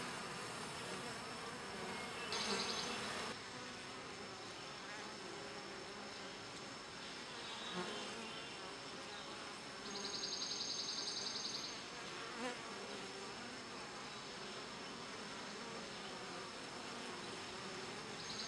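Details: Bees grooming each other within the hive: an unbroken collective drone, broken by brief louder, higher, pulsing buzz bursts near the start and again around the middle.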